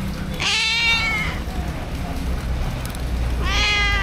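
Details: Stray cats huddled in a cardboard box in heavy rain, filmed on an action camera; two long quavering meows roughly three seconds apart, rising then falling, against a dense steady roar of rainfall.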